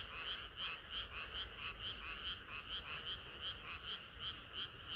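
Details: Summer-night frog chorus, countless voices blending into a constant buzz while nearer frogs give quick, regular croaks at a brisk, even pace.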